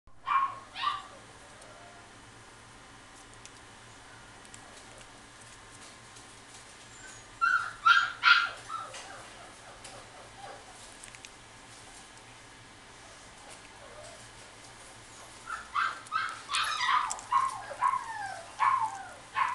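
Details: Female Toy Poodle at a pet shop in Kuwana, Japan: short sharp yips in bursts near the start, around seven seconds, and a longer cluster of rapid, slightly whiny barks from fifteen seconds on, with quiet gaps between.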